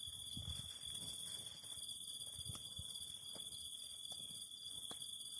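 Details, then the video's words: Steady high buzzing of singing cicadas beside a fire, with a constant lower tone beneath, while scattered soft pops and crackles from the burning fire break through. "Fire and the Singing of Cicadas"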